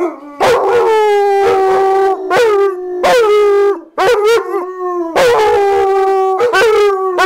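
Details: Nitro and JaKai greet their owner returning from work with a chorus of howls. Steady held notes are cut by quick rising yelps and brief gaps, and the two voices overlap.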